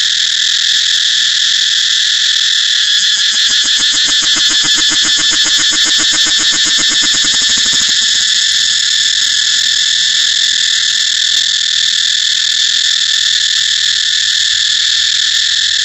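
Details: Cicada song: a loud, continuous shrill buzz held for the whole recording, with a stretch of rapid rhythmic pulsing in the middle before it settles back to a steady drone.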